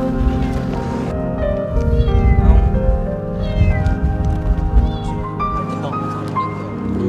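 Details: A female kitten stuck for about two months in a narrow pit with only a 5 cm gap gives several thin, rising-and-falling meows over background music. Locals say she cries a lot around 2 a.m.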